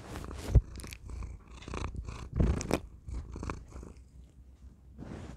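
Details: A domestic cat purring close into a tiny microphone: a steady low rumble with louder, uneven bursts and rustling as the cat shifts against it.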